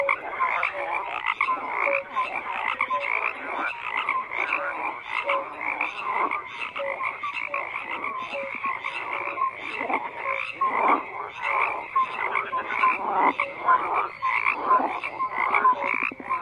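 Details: Dense frog chorus, many overlapping croaks and short pulsed calls, with brief tonal notes scattered through, forming a continuous pulsing wall of sound with surges roughly every second or two.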